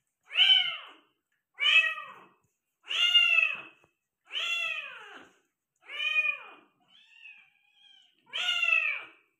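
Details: Persian cat meowing during delivery of five kittens indoors. Six loud, drawn-out, arching meows come about every one and a half seconds, with one fainter, softer call between the last two.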